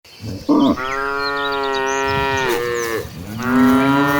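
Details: A cow, one of dozens of gentle cattle walking toward a green pasture, gives a long, harmonic-rich moo, steady and slightly wavering, then a second lowing call.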